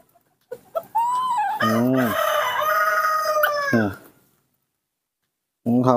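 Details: Nomi, a baby monkey, refuses bananas and water and gives a long, wailing, harmonic cry, begging for milk.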